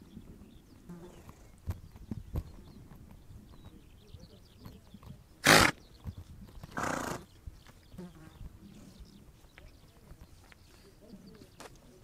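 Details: Mongolian steppe horses give two sharp, breathy snorts a second apart midway through, among scattered soft clicks and low rumbling background.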